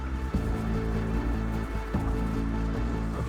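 Deep, sustained musical tones with a soft rhythmic pulse, and no animal voice.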